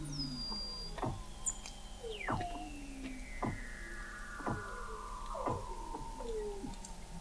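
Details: Weddell seal vocalizations beneath sea ice at McMurdo Sound, Antarctica, taken in November 2017 from an undersea observatory: rapid steep downward chirps repeated about once a second over long drawn-out falling whistles and a constant low hum.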